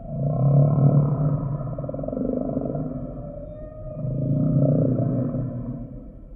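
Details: Singing humpback whale giving two long, growling low moans with rich harmonics, the first swelling early and a second rising near the end, over a dark underwater hum.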